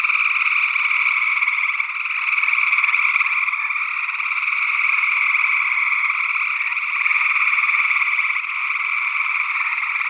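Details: A continuous chorus of gray tree frogs recorded in Northwest Wisconsin in early June 2022 with two small condenser microphones in ORTF. Rapid, rattling trills overlap without pause and gently rise and fall in loudness. A second frog species, unidentified, calls too.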